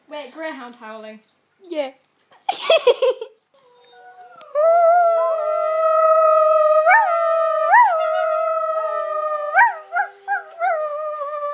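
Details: Brief speech and a sharp noise, then a domestic dog's sustained steady howl held for seconds, with small upward yips and inflections breaking into the tone near the end.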